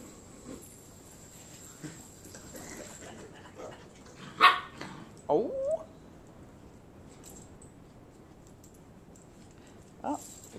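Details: Playing Old English Sheepdog puppies at a Flower Mound, Texas breeder let out a sharp bark, then a rising yelp midway, with a faint yip near the end, indoors, a woman speaking softly nearby.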